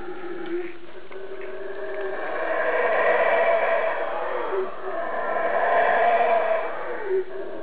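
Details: Invisible howler monkey up in the canopy close by, giving a long rasping roar in two big surges, deep and buzzy with stacked tones, dipping between them.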